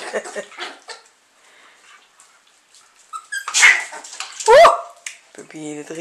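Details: Lakeland Terrier pups, 5.5 weeks old, July 2014, indoors; one female is being made to submit. After Dutch speech comes a sharp rising yelp, then short whining notes, with a woman talking throughout.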